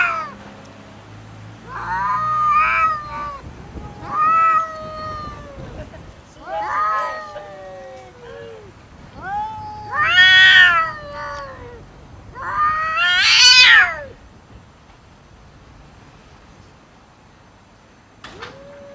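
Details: Cats arguing and fighting about food produce a series of moaning, wavering yowls roughly every one to two seconds, growing louder and harsher toward a peak scream, then fading to quiet with one faint final call.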